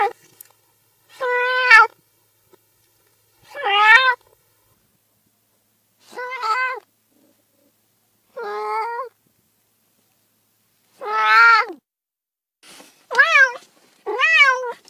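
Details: Cat meowing in clean, quiet surroundings: drawn-out, strongly harmonic meows, some wavering, others rising then falling, about eight spaced one to two seconds apart with silence between.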